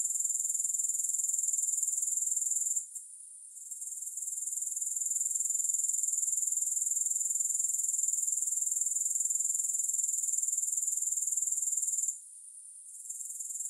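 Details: Shrill, continuous insect trill from grasshoppers, fast regular pulses at high pitch, interrupted twice by sudden short drops in loudness that recover gradually; no music or other sounds.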